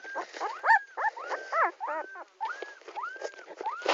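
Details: Puppy named Tommy crying: a run of high, arching whines and short yelps, some rising then falling, repeated about once a second with brief gaps.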